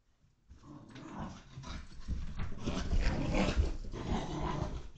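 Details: Five-month-old Portuguese water dog puppy indoors at home in Connecticut, USA, in February 2021, during post-walk zoomies, captured by a home security camera. Low, rough growling and grumbling builds after half a second of quiet and continues in uneven, rumbling bursts.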